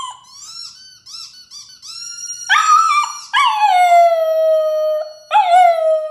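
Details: Dog howling: high whining yips and short rising notes at first, then loud drawn-out howls that start high and glide down to a long steady tone, repeated about three times.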